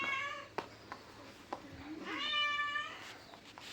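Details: Pet cat indoors: a short meow at the start, then a longer, clear, wavering meow midway, with scattered taps and clicks around it.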